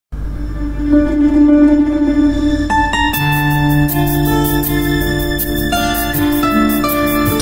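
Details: Ambient music plays: sustained eerie tones, then a fuller tonal passage with regular beats from about three seconds, and no animal voice.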